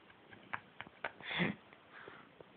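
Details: Sleeping domestic cat snoring indoors: a single soft, breathy, rasping intake swells and fades midway, flanked by faint scattered clicks and light handling noises in a quiet small room.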